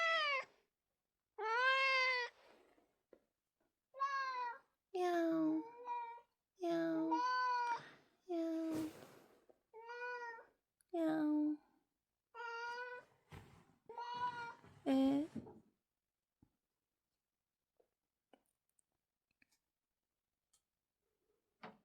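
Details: Domestic cat at home calling nonstop like an alarm clock: around eleven loud, insistent meows in quick succession over about fifteen seconds, some bending downward at the end, followed by near silence.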